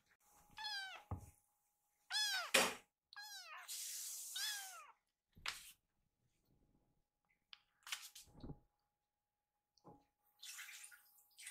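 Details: Rescued kittens in a home, upset at realising it is not mealtime after all, utter several sharp falling meows early on, followed by rushing water-like noise, thumps and occasional further cries.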